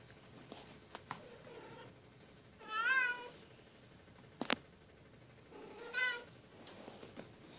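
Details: Bengal cats at play, the silver kitten Keylala romping with sister Luna and mom Xia; two drawn-out wavering meows about three seconds apart, with a sharp click between them.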